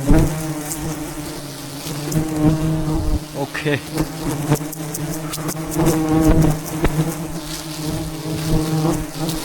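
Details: Wild bees by the thousands buzz around a giant mountain beehive as honey is harvested; the continuous deep hum holds steady while scattered clicks and scraping noises cut through it.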